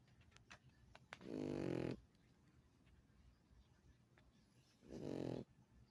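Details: Pug asleep and snoring: two drawn-out, rattling snores roughly three and a half seconds apart, each low and buzzy with a rough, fluttering texture, in a quiet indoor setting.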